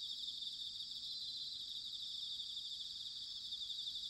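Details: Bell crickets in autumn at Sanuki, Chiba, Japan, recorded on a ZOOM H6 or TASCAM DR-05X, giving a continuous shrill chorus of overlapping high trills with no other sounds.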